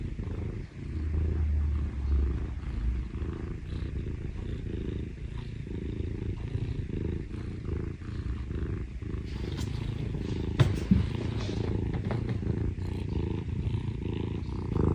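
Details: A low continuous rumble of purring from Parumu, a rescued Scottish Fold younger brother cat, being cuddly with its owner; the engine-like drone holds throughout with a couple of faint clicks late on.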